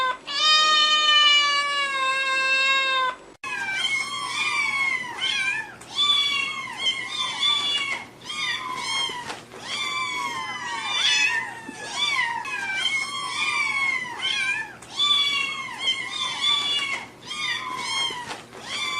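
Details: Cats and kittens meowing: one long, steady, harmonic-rich meow, then a busy run of short, overlapping, rising-and-falling meows, several cats calling at once, in rapid irregular bursts.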